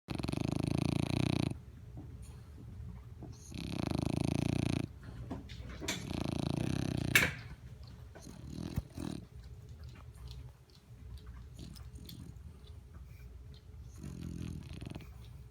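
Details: A sleeping dog snoring: loud, low, rasping breaths in three long bursts of a second or more, then softer, scattered breathing noises and small clicks before one more rasping breath near the end.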